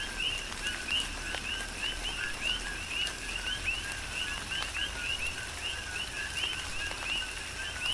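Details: Rhythmic chorus of coqui frogs recorded in tropical rain on Hawaii's Big Island: bright, sweeping 'co-qui' notes, many per second from overlapping callers, layered over steady rain patter and occasional louder drips.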